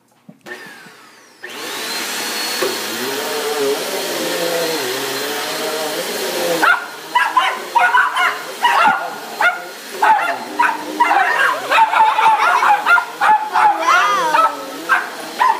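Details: A dog barks rapidly and insistently right after a steady vacuum-cleaner roar, as a carpet is being cleaned. Finding: Dog.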